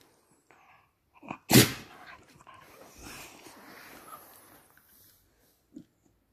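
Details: A ten-month-old Patterdale Terrier lets out one sharp, loud sneeze indoors, a sudden broadband burst followed by a soft snuffling tail and faint movement noises.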